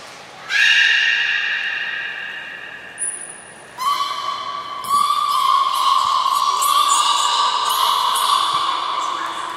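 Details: At Port of Nagoya Public Aquarium, belugas Taanya, Nana, Mirai and Niko during training, July 2020. A long steady harmonic squeal begins, a short high whistle cuts in, then a louder sustained call with busy clicking overtones runs to the end.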